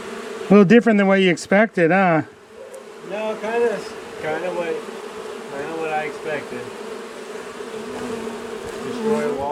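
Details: Angry honey bee colony being cut out of a house wall after nightfall, March 6; a man's voice briefly at first, then a continuous droning buzz of many bees with faint voices beneath.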